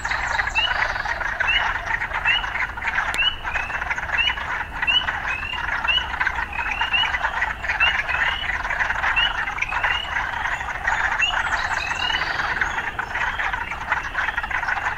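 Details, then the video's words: Urban frogs in a dense, steady chorus, a continuous buzzing wall of calls broken by short rising chirps repeated about every half second to second, with no pause across the stretch. "Urban Frogs"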